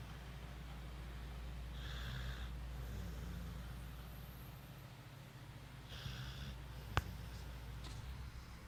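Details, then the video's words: Sid, an American Pit Bull Terrier, snoring in his sleep indoors: two soft, breathy snorting rasps around the second and sixth seconds over a steady low hum, with quiet breathing between. "Snoring pitbull"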